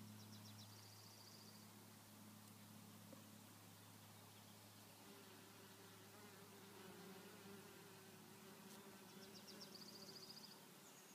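A bee's low, steady droning buzz hums on, shifting slightly in pitch partway through.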